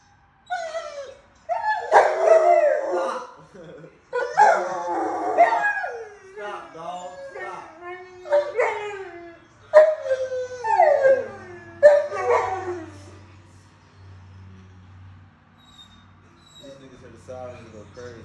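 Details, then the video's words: Two Rottweilers, a young female and her son, give a run of wavering, yodelling howls and moans that rise and fall in pitch; the owner wonders whether they hate sirens. "OUR ROTTWEILERS TALKING ON CAMERA!"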